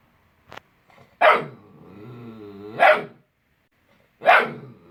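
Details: Young Vizsla named Jett, only weeks old, lets out three piercing yappy barks roughly 1.5 seconds apart, linked by a long, low, sliding whine that bends downward and back up between the first two.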